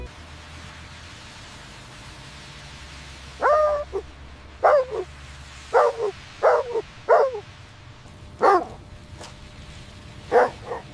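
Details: Puppies at play with their mother dog on snowy winter ground; after a quiet start with a low steady hum, a series of sharp, high yips and short barks comes irregularly, some doubled, with quiet gaps between.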